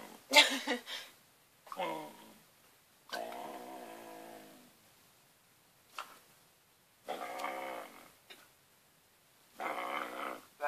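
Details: A Siberian Husky on a bed, refusing to let a person in, gives drawn-out moaning, grumbling vocal bursts of a second or more, separated by pauses, while a person's voice breaks in between.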